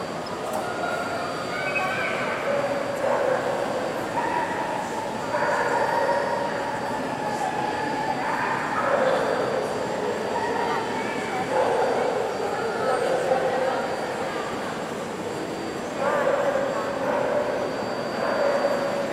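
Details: An Alaskan Malamute at Reggio Emilia in 2019 gives long, moaning howls, each held for a second or two and repeated.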